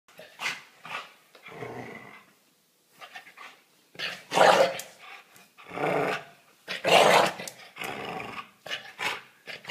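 A Staffordshire Bull Terrier growls and snarls in rough, irregular bursts.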